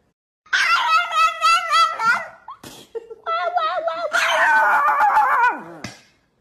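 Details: Chihuahua giving a wavering, whiny vocal performance: long harmonic yowls that wobble up and down in pitch, broken by a short gap near the middle and ending in a falling whine, recorded indoors.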